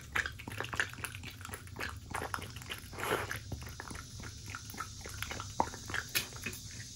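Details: Shiba Inu dog chewing steak: moist smacking and crunching bites in uneven bursts, with a louder mouthful near the middle and a faint steady hiss underneath.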